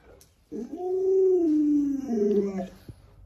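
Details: Pet Alaskan Malamute Luoluo, playing hide and seek with its owner indoors, gives a drawn-out, harmonic-rich howling whine lasting about two seconds. It holds steady, then slides downward, ending in a second, lower wavering phrase.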